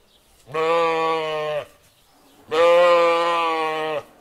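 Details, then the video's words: Lamb bleating twice, each call a steady, harmonic-rich baa lasting about a second, separated by a short quiet gap; no other sounds. "Sheep lamb voice sound"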